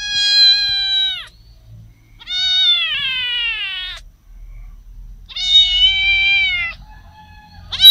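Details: Domestic cat meowing: three long, steady, richly harmonic meows of about a second each, separated by quiet gaps, with a short fourth call starting at the end.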